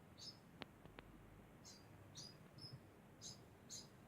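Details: Degu making a constant sound: short, high, squeaky chirps repeated roughly every half second, about seven in four seconds, with a few sharp clicks early on.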